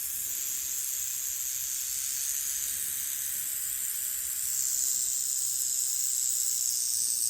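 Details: A speckled rattlesnake rattles in a continuous dry, high-pitched buzzing hiss that is sustained without a break, growing slightly louder and brighter about halfway through. No other sounds are present.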